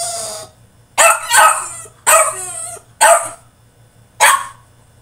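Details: Tantrum from a French Bulldog shut in his cage: five loud, hoarse barks arrive about once a second, each harsh and slightly drawn out, against a faint steady hum.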